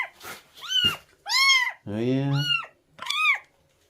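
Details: Stray cat in a rescue calls out in a series of four sharp, arched meows spaced under a second apart, with a lower human voice briefly overlapping in the middle.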